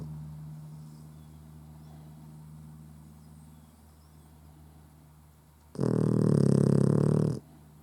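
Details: Puggle asleep with open eyes and snoring. A soft low hum runs for several seconds before one loud, raspy, rattling snort that lasts about a second and a half, then the quiet drone returns.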